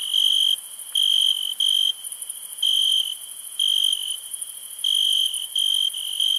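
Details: Night chorus of crickets in India: bright, high-pitched trilled bursts, each lasting around half a second, repeating irregularly over a constant ringing drone of other insects.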